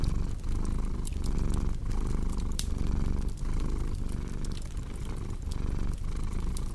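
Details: Low rhythmic purring of a cat, a soft droning rumble broken by brief breath pauses under a second apart, with scattered fireplace crackles and pops on top.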